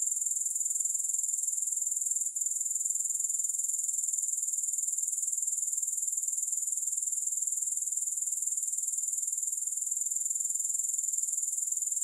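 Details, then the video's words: Continuous grasshopper sound with no music, a piercing high trill of quick, regular pulses holding a constant level from start to finish. "3 Hours of Grass Hopper Sounds"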